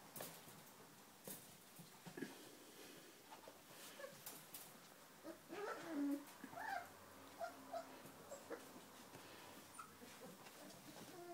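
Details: Four-week-old Giant Schnauzer puppies from an H litter give short, high, wavering whimpers and squeaks in scattered bursts, strongest mid-clip, over soft rustling and handling noises.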